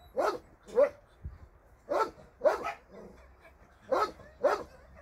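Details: Dogs at a South Korean shelter for abandoned dogs, visited by a Sunday volunteer, bark in short sharp bursts, often paired, about six barks over five seconds with brief quiet gaps between.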